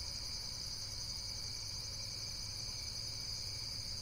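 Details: Steady, shrill insect chorus droning evenly for a few seconds, layered high buzzes with no breaks, a muffled low murmur behind.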